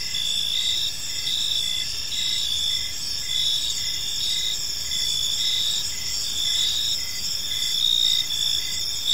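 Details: Crickets chirping on an evening in a park, a dense, steady high-pitched chorus of several insects with layered trilling pulses and no other clear sounds.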